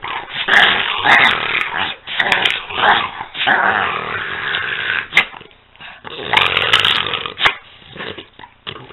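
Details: Two dogs, Peanut and Daisy, playing together indoors: rough, rumbling growls rise and fall in bursts with short pauses, overlapping snarls, and an occasional sharp bark-like yip.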